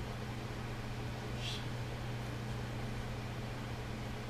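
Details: Steady low mechanical hum, like a fan or engine, fills an indoor room, with one brief soft hiss and no animal voice.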